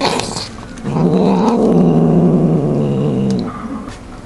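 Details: Steady, throaty growl from a cat guarding the food it is devouring, held for about two and a half seconds with a low buzzy tone, framed by faint rustling before and after.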